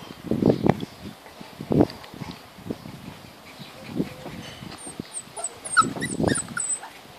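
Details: 36-day-old Labrador–Golden Retriever puppies, trying to climb three stairs to reach their mother, whine in short, thin, wavering bursts, with faint high chirps late on.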